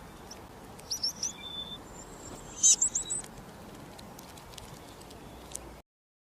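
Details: Cricket. Bright, high-pitched cricket chirps arrive in brief bursts, each a quick run of three to five pulses. A constant soft hiss fills the background between the bursts.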